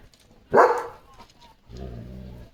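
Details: German Shepherd guarding his area on a farm one evening gives a single loud, sharp bark, followed by a low rumbling background.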